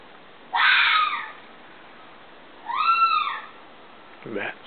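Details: Fox screaming: two drawn-out, harsh, harmonic screams about two seconds apart, the second arching up and down, followed by a short cry sweeping steeply downward, with quiet background hiss between calls.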